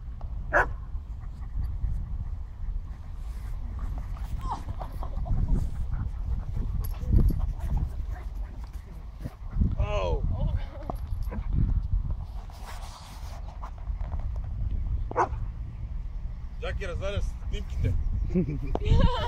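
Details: Barney playing with Jack Russell and Alabai dogs; high wavering whines and yelps rise out of the play around the middle and near the end, amid scuffling, low background rumble and voices.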